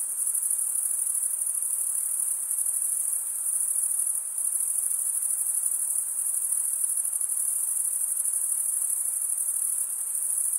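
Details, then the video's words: Cricket chirping from males rubbing their wings together: a constant, very high, finely pulsing trill that dips slightly in loudness now and then but never stops. The background is otherwise quiet. "Most relaxing cricket sound for 8 hours"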